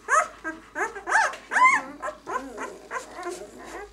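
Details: Sharp, rising-and-falling squeals from six-day-old White German Shepherd puppies ("of White Night" B litter), about eight short cries in quick succession.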